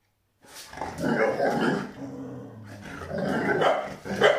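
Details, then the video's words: Kuvasz dog growling in play, wanting to play before running away; low rumbling growls with short bark-like bursts, rising at the end, indoors. "Kuvasz May Wants To Play Growling And Running Away"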